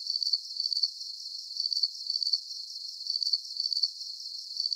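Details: Crickets chirping in a calm night-time soundscape: thin, very high-pitched chirps in short rapid trills, repeating steadily throughout, with nothing heard in the lower range.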